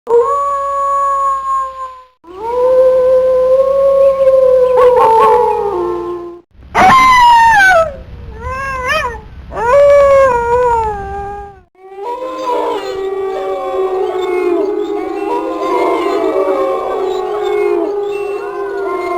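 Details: Wolves howling: long smooth tones that rise and slide down with strong harmonics, several separate howls with short pauses, then a chorus of overlapping howls at different pitches.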